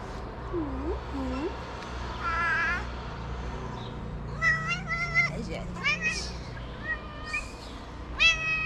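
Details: Kitten at a small shelter in Morocco meowing in short harmonic cries, several flat or slightly falling, spaced irregularly, with a person talking and a low background hum.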